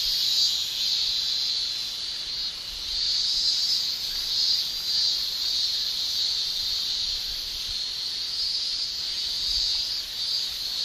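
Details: Japanese summer cicadas, males singing with tymbals: a continuous piercing shrill that rises and dips in slow waves of loudness over several seconds, otherwise uninterrupted.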